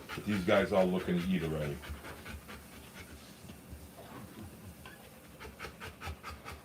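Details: Rottweiler giving birth to puppies, breathing in rapid breathy pants about 105 a minute for several seconds after a short burst of human speech.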